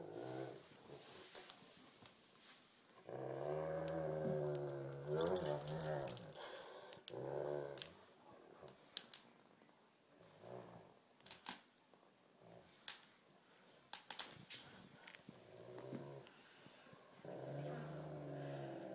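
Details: A tug-of-war battle between two dogs, Thumper the Great Pyrenees and Baby Huey the Tibetan Mastiff. Intermittent low rumbling growls alternate with quieter gaps, and scattered clicks and a loud scuffling burst are heard midway.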